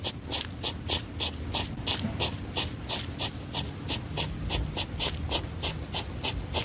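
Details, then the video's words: A hedgehog snorts in quick, regular puffs, about three each second. "їжачок пиркає"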